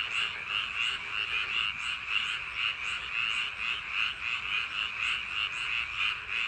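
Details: Rice-paddy frogs on a summer night give a dense chorus of overlapping, rapidly pulsed croaks, steady and unbroken.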